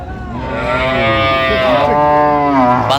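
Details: Cattle at the Ambari Hat market, Dinajpur, among cows and calves on sale, 16 January 2026: a sustained, loud, buzzy moo lasting nearly three seconds, slightly wavering in pitch, with a noisy crowd behind.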